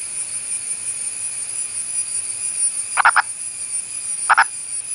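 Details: A wild male Indian purple frog (Nasikabatrachus sahyadrensis), an endangered burrowing species of India's Western Ghats, calling from above ground rather than underground, gives two short, hoarse clucking calls, each a quick doubled note.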